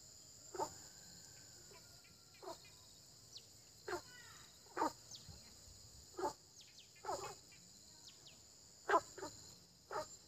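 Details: Frogs croaking in early spring: short, harsh single croaks come every second or two at uneven gaps over about ten seconds, with a steady high insect drone and a few faint chirps behind them.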